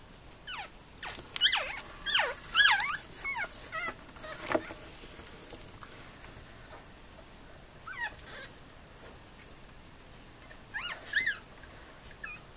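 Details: Four-day-old Tibetan terrier puppies whimpering in a kennel litter, with short, thin rising-and-falling squeaks in several bursts, loudest in the first three seconds and again near eleven seconds, over a faint hiss.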